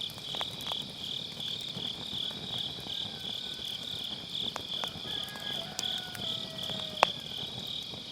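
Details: Continuous high ringing trill of grass insects on an autumn night, heard beside a round fire pit where firewood crackles and snaps now and then, with a faint sliding tone in the background.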